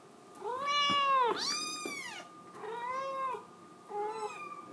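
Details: Scottish Fold kitten crying to be let outside: one long, loud, bending meow that runs straight into a sharper squeal, then two softer drawn-out mews, in a quiet room.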